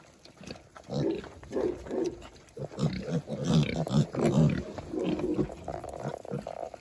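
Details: Kunekune piglets beside their mother, now eating real food, producing deep, overlapping grunts that build in loudness and come in quick bursts amid chewing and rustling.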